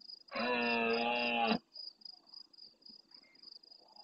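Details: Close red deer stag in the Doñana marshes of Almonte, Huelva, Spain, bellowing early in the night in reply to farther stags: one loud, harsh roar of about a second, then quiet with pulsing crickets and faint distant sounds.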